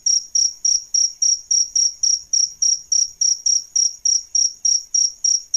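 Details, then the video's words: Male and female adult jangkrik, crickets used to tutor singing birds, produce a steady shrill chirping, about 18 bright pulses at a brisk, regular pace over quiet background. "Suara JANGKRIK Jantan dan Betina"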